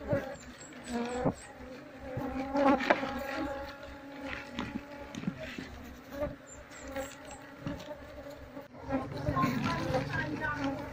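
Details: Apis cerana, a wild Asian honey bee colony, being separated from the honeycomb with a brush for transfer to a hive box as the queen is sought; continuous droning hum with layered harmonics, brief louder bursts and scattered clicks.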